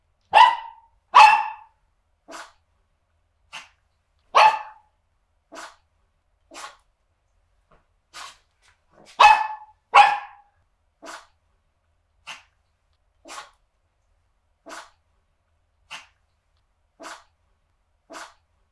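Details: Small male dog barking continuously, about eighteen short yaps at roughly one per second, a few loud full barks mixed with fainter clipped ones, in quiet surroundings with nothing else audible.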